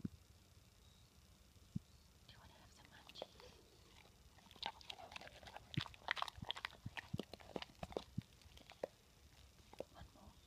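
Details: Rottweiler named Gaia, a female, eagerly eating her healthy snacks indoors; quiet at first, then dense bursts of sharp crunching clicks and wet chewing grow busier toward the middle before easing off.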